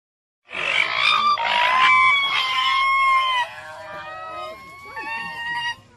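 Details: Raccoon dog calling in a series of three rough, nasal, honk-like whines, each about a second long. Fainter, drawn-out whistled whimpers with a steady pitch and small downward slides follow them.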